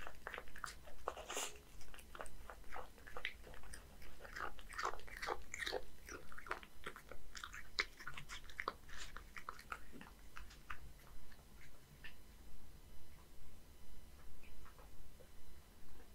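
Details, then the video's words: A one-year-old male Scottish Fold named Hige, living in Japan, chews a fish and dry food mix; steady crunching clicks for about ten seconds, fading into quiet, rhythmic low pulses near the end. "[Cat ASMR] 🐟Eat horse mackerel and crispy combo! [eating sound]"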